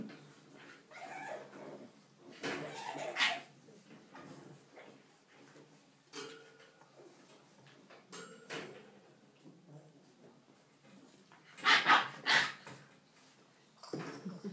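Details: English bulldog puppies at play, giving short scattered bursts of rough whining and yelping, with clusters of louder yelps, quiet pauses in between, and faint rustling movement.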